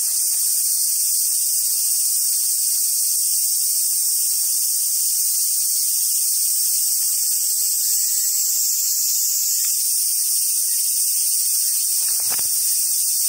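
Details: Cicadas droning in summer at Awajishima Monkey Center, Hyogo, Japan, home to wild Japanese macaques: a thick shrill hiss that wavers gently in pitch, with a faint low hum midway and a sharp knock near the end.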